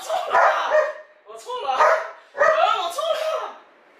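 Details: A Border Collie named Alpha, playing indoors as its owner goads it, gives three drawn-out barking bursts about a second apart, each with a rough, voiced tone, mixed with human voices.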